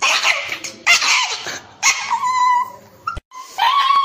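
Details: Dog crying while going for an injection; high whining cries in bursts, some sliding and wavering, separated by short pauses and a sharp click.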